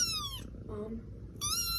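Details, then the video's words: Kittens meowing: two high, thin, clear meows that slide downward, one at the start and one at the end, with a short low murmur in the quiet gap between them. "the kittens saying meow are so cute"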